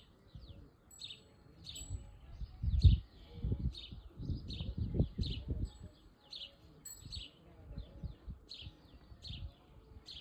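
A cricket or grasshopper sings short, bright chirps repeated steadily, about one or two each second, over low rumbling.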